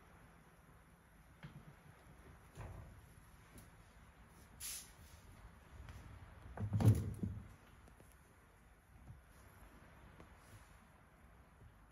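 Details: Quiet indoor room with scattered clicks, a brief hiss and a dull knocking thump, like a dishwasher being handled, with no animal voice.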